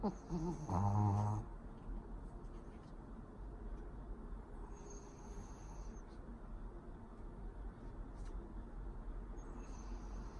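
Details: Pori, a pet Pomeranian asleep indoors, lets out one short rasping snore under a second long, a low rumbling burst with a fluttering texture, followed by quiet room hiss for the rest.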